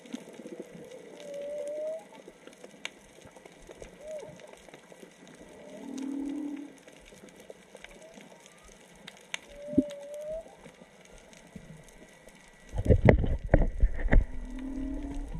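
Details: Underwater whale song off Onna, Okinawa, probably three to four whales: short upswept tones alternating with low drawn-out moans, spaced a few seconds apart, then loud splashing and bubbling noise near the snorkeller before a final low moan.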